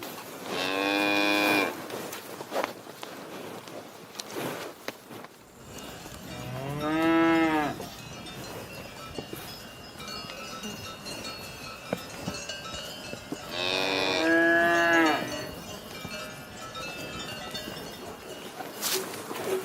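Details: Cow mooing three times over about twenty seconds, each call a long, deep, wavering bellow with rich harmonics, spaced roughly six to seven seconds apart, with faint clatter and outdoor noise between calls.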